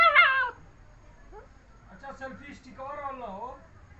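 A German Shepherd puppy lets out a short, high-pitched whine that bends slightly downward, almost like a meow. Quieter human voices follow in the background.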